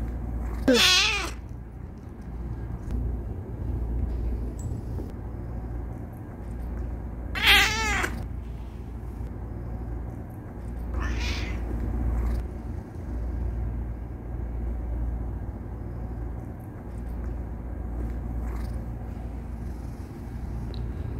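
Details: A male pet cat protesting after being stopped from kneading gives loud, wavering, harmonic meows, two strong ones about seven seconds apart followed by fainter ones, over a constant low hum.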